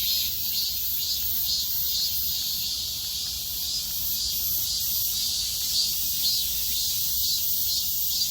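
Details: Shrill midsummer cicada song from many insects at once, an unbroken sizzling drone with rhythmic surges roughly twice a second and clearer beats at the very top, over a quiet low murmur.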